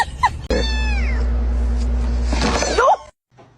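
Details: Domestic cat in a home setting gives a drawn-out call whose tone slides downward, set over a steady low hum; a brief higher squeak comes just before it.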